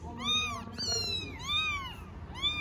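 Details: Four-week-old kittens, among Istanbul stray cats, meowing together: high arched mewing calls, each about half a second, repeated four times, with overlapping voices and faint background noise.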